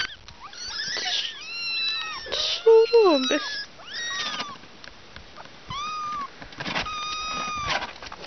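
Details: Several kittens and their mother cat meowing in quick succession, overlapping high arched meows, some short and others drawn out, with a few louder strained cries mid-way and brief pauses between bursts.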